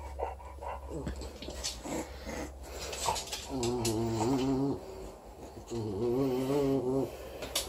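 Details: Four-week-old female English Bulldog puppy playing with her teddy bear, giving two drawn-out, wavering low growls of about a second each, separated by a short pause, over faint rubbing and handling noise.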